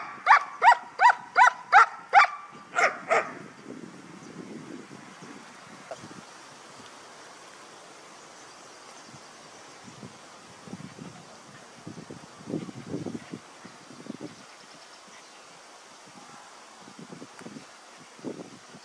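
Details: Trained guard dog during an exercise in guarding belongings, barking at a person; a rapid run of about ten loud barks lasting three seconds, then low scuffling sounds and faint noises for the rest.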